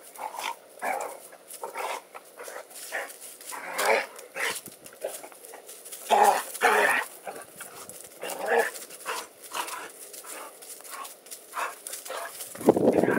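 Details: Two dogs play fighting and chasing each other around a yard, a loud male and a quieter, smaller female about 30 lbs lighter; rough growls and short barks come in repeated bursts, with a louder low snarl at the end.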